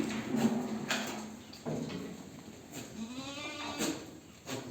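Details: Barbari goats on a goat farm at Jhumri Tillaya; a tremulous, wavering bleat rises midway through, amid background murmur, scattered knocks and clatter.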